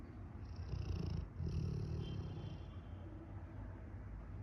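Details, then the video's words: A sleeping Rottweiler snoring; low, rumbling, rough breaths in a continuous purring texture with slight swells in loudness. "Rottweiler Snoring"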